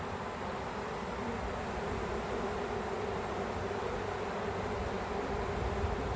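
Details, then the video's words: Backyard honey bee swarm before capture, giving an even, thick buzzing drone that holds at one level throughout, a broad hiss of many wingbeats with no clear pauses or other voices. "Capturing A Bee Swarm"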